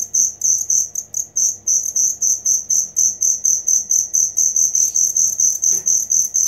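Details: Cricket calling, meant as training sound for songbirds: shrill high chirps pulsing about twice a second, with slightly uneven spacing early on and a short faint swoop near the end.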